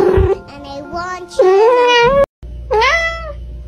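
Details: Domestic cat giving two drawn-out meows, the first rising and holding, the second sliding up then leveling off, with a brief silence between and background music underneath.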